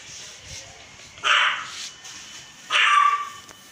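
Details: Male American Pit Bull Terrier puppy in Faridabad, India, giving two short, high, sharp barks about a second and a half apart, with quiet background between them.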